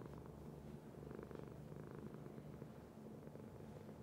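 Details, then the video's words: Domestic cat purring: a soft, continuous low rumble with fine rhythmic pulsing, steady throughout with no other sounds. "Cat Purr"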